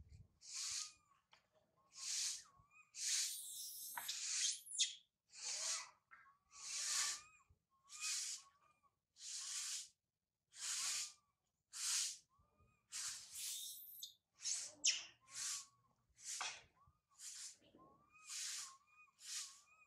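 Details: High up a tree, infant monkey Sario cries after mother Sarah departs: a long run of rasping, breathy screams, roughly one per second, with soft whining coos trailing after several of them.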